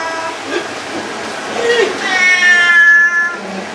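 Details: Cat giving one drawn-out, tonal meow that rises and then holds a bright, steady pitch before fading, after some softer low sounds at the start.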